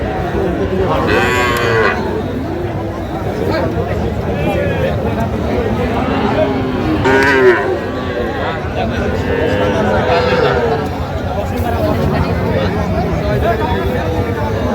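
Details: Calves and young cattle at a market in Jamalpur, Bangladesh, on 19 August 2025, where farmers buy small bulls and heifer calves. Several drawn, wavering moos rise over a loud crowd of talking traders and market noise.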